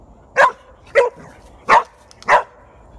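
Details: Australian Shepherd and border collie mix dog confronting a groundhog, recorded 18 September 2018: four sharp, loud barks spaced roughly half a second apart, each short and clipped, against a quiet background.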